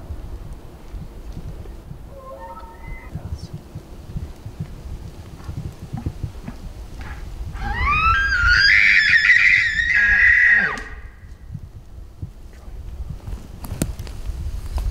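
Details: Bull elk screaming and bugling at 40 yards during a September bow hunt: a faint short rising whistle early on, then a loud bugle sliding up into a long high whistled scream that holds for about three seconds before breaking off.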